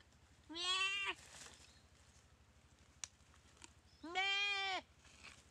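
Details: Goat under attack by a Komodo dragon at a dry river in Komodo Village, weakened by the bite; two harsh, quavering bleats roughly three seconds apart, with a sharp click in between.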